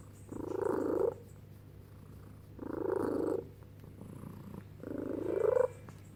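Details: Female office cat that calls like a pigeon and growls makes three drawn-out, throaty moans, each rising slightly at the end, spaced about two seconds apart indoors.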